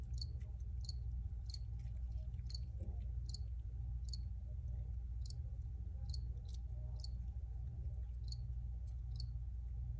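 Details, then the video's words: High, clipped cricket chirps repeat roughly once a second at an uneven pace in an original recording, set against a loud, steady low rumble. "Cricket Sounds"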